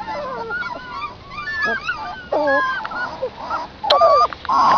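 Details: A litter of puppies suckling from their mother outdoors gives a chorus of high, wavering whines and squeals with uneven pauses, growing louder and denser near the end.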